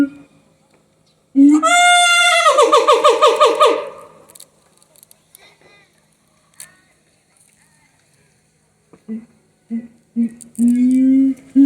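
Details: Siamang at Higashiyama Zoo: loud, rapid, barking pulses run for over two seconds. After a quiet gap, short hoots return and lengthen toward the end.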